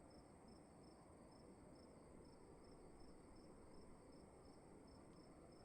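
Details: Cricket chirping inside a room: spaced, thin high-pitched chirps roughly every half second, faint against a steady low rumble and hiss.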